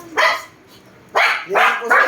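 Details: Pomeranian dog giving four short, sharp, high barks, one at the start, then a pause of nearly a second and three quick barks in close succession, with a quiet background between them.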